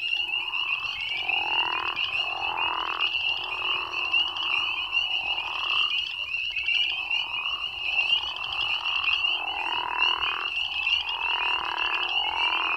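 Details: Crawfish frogs in Tennessee give deep, loud snoring calls over a dense, high chorus of spring peepers.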